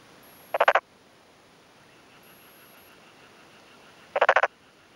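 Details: Calling male black-spotted pond frog, vocal sacs on both cheeks inflated, in a puddled rice field in rural Yamaguchi, Japan, 2 May 2011 afternoon; two short rattling croaks of four or five rapid pulses each, about three and a half seconds apart.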